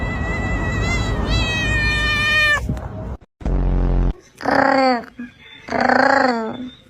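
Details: Domestic cat making odd, funny sounds: after a long high harmonic wail over low rumbling noise and a short buzzy low burst, two clear drawn-out meows with falling pitch follow, about a second apart.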